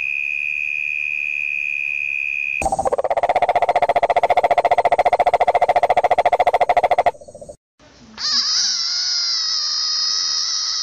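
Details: A frog gives a long, rapid, buzzy pulsed trill lasting about four seconds between steady tonal hums. A brief silence follows, then a higher sustained droning call.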